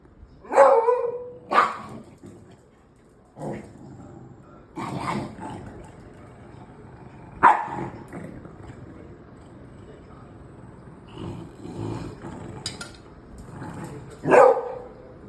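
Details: A beagle and a dachshund in a playful squabble: irregular barks, some in quick pairs, mixed with lower growling bursts and low background rumble across fifteen seconds.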